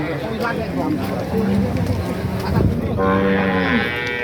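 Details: Cattle being traded at the Nganjuk cattle market in East Java give short low moos, the last one rising and falling, heard through steady market voices and clatter.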